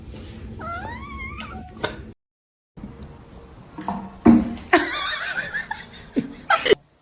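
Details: Kitten meowing: one short wavering meow that rises then dips in pitch during the first two seconds, then a brief silence followed by clattering knocks and noisy scuffling bursts.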